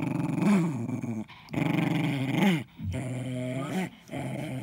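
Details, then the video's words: Ten-year-old Jack Russell Terrier Eddie guards his ball indoors with deep, rolling growls in three long bursts broken by brief silences, each rising and falling in pitch, some edged with a snarl. "Jack Russell protects his ball"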